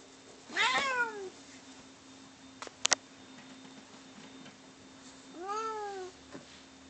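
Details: Bono and Mickey, two pet cats, fighting; a short harsh descending meow, then a few sharp clicks, then a second longer arched meow falling in pitch, with faint room hum throughout.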